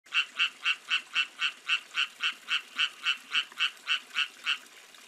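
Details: Rain frog, Pristimantis achatinus: a steady series of short, bright, clicky notes, about four per second with even spacing, over a faint background hiss.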